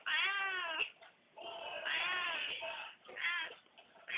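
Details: Domestic cat meowing loudly indoors in drawn-out, wavering harmonic meows, three main calls with a short rise and fall, in quick succession over about four seconds.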